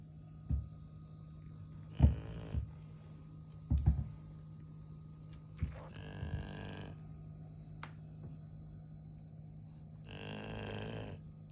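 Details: Sleeping golden retriever produces three harsh, droning snores spaced about four seconds apart, the middle one longest, amid scattered light thumps and clicks over a low hum.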